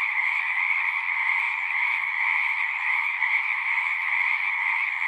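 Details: Frogs singing together in a steady nocturnal-sounding chorus of overlapping rapid trills, constant level, with faint low rumbling beneath.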